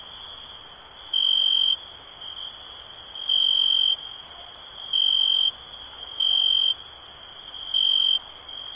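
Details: Continuous shrill cricket trill, with louder chirps of roughly half a second repeating every one to two seconds, plus soft clicking high overhead.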